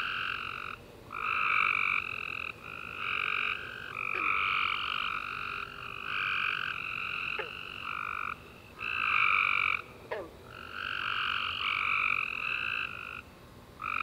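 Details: Many tree frogs chirping together at night after a rainy summer day, rasping trilled bursts of one to two seconds alternating between callers, steady pulsing chorus with short pauses and a few soft clicks.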